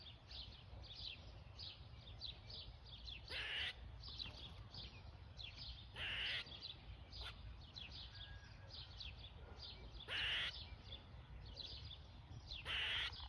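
A squirrel gives harsh, raspy bursts every few seconds, with softer clicking chatter in between.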